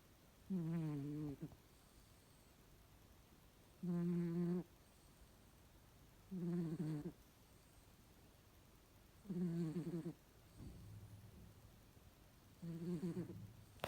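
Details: Cat asleep and snoring: five buzzy, low, droning breaths, each nearly a second long, spaced about three seconds apart against near silence.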